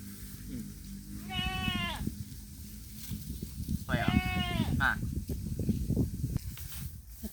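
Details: Pet goat, said to be very thirsty, out in the middle of a field on a hot day; two wavering bleats about three seconds apart, over heavy low rumble and a man talking.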